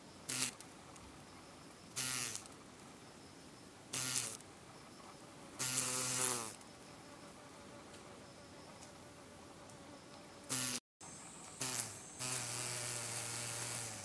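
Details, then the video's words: Flightless green drone beetle, Rhomborhina unicolor, its left hindwing deformed, beating its wings in failed take-off attempts in Japan in late August 2012: short low humming bursts every two seconds or so, one longer burst, then a steadier buzz near the end. "Flightless Green Drone Beetle 飛べないアオカナブンの羽ばたき"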